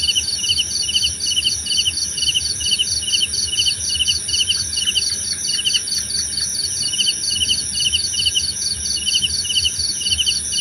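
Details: Chirping crickets for sleep and relaxation, rapid pulsed bursts in two pitch bands over a continuous shrill drone, with a short faint series of higher chirps midway.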